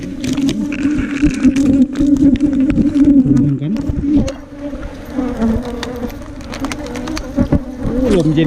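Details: Wild ground-nesting bees, small cavity bees nesting in holes underground or in termite mounds, being dug out by honey hunters; a steady low droning buzz holds throughout, with men talking over it.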